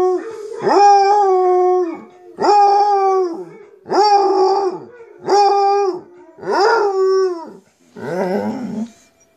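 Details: A basset hound, howling while listening to recordings of other basset hounds howling, gives a series of deep, mournful howls, each swelling and then sliding down.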